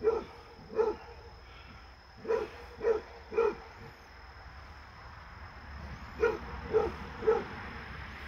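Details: Fred, a Basset Hound, barking while playing with a deer friend that visits: deep hoarse barks in groups of two or three, about eight in total, separated by short pauses.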